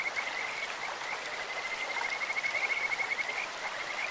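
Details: Stream-dwelling Kajika frog with a beautiful, bird-like voice: a sustained high trill of rapid pulses lasting about three seconds, then a fresh start, under the steady rush of water.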